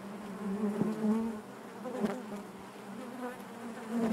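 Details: Honey bees buzzing inside their hive, a steady low drone with a strong hum band and rich overtones, swelling and fading slightly as individual bees pass close, with brief louder bursts near the start.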